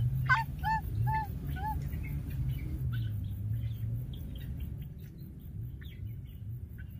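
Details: Wild baby monkey that lost its playmate keeps calling: a sharp cry, then three arched, tonal whimpers about half a second apart, followed by faint scattered chirps over a steady low hum.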